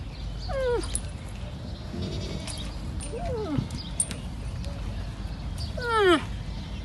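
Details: Sad cries of a young camel: several brief harmonic calls, each sweeping steeply downward, spaced a few seconds apart over constant low background noise, the last one loudest.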